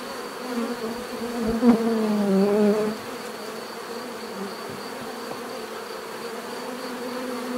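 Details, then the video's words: Natural bee buzzing, a steady swarm drone with one nearby bee passing close, its hum swelling louder and dipping slightly in pitch for about a second before fading back into the background buzz. "bees therapy relaxing natural buzzing sound"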